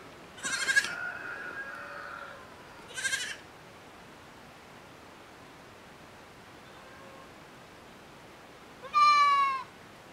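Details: Miniature goat kids enjoying the sun on a farm: three short bleats, two wavering cries close together near the start, then a louder, clearer bleat near the end, with long quiet gaps between.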